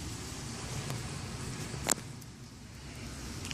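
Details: Low, steady urban traffic rumble with one brief sharp click near the middle and no animal voice.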